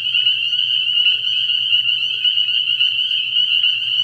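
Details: Many spring peepers at a night-time frog pond in early year, their high piercing peeps packed into a constant ringing chorus, with a soft low droning hum beneath.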